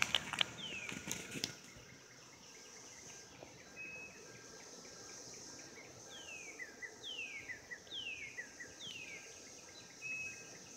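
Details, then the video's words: Cicadas calling during the 2016 mating season: a steady high, hissing drone runs throughout, overlaid by a series of descending whistled sweeps and scattered clicks, with a sharp burst of noise at the start. "Cicadas 2016 mating"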